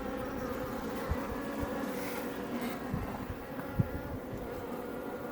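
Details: Iberian honey bees building comb at a Langstroth hive near Roquetes, Catalonia, Spain; a constant hum of many bees, with scattered soft taps and a brief hiss of wind or rustling in the middle.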